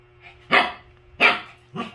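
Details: Shih Tzu barking in the morning to wake its owners: three sharp, high yapping barks about two-thirds of a second apart, the last one softer, over a faint steady hum.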